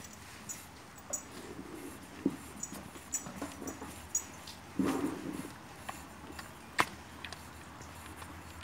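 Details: A newborn calf suckles from its mother with all its strength, butting its muzzle to make the milk flow, making irregular wet smacking and sucking clicks.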